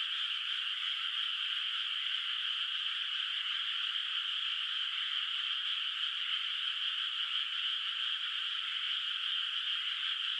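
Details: Night chorus of frogs in a countryside rice field lit by the moon, water not yet planted with rice, calling from afar: overlapping high trilling forms a constant, seamless hum that neither rises nor fades.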